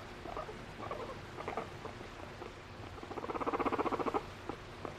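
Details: Pet guinea pig, a female affectionate with her owner and expressing emotion, giving soft scattered chirps, then a rapid burst of short pulsed notes repeated about four per second, low room hum beneath.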